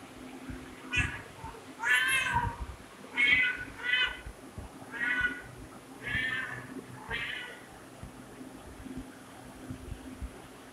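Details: Domestic cat meowing in a series of about seven harmonic, mid-pitched meows spaced roughly one second apart, some drawn out and falling, with low rumbling handling noise underneath.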